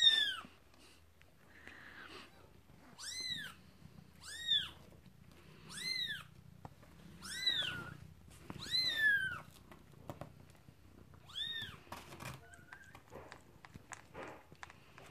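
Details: One-day-old newborn kitten, one of five born to Luna, squeals for its mother indoors: short high arched cries, rising then falling, repeated roughly every one to two seconds in bursts, with soft rustling between.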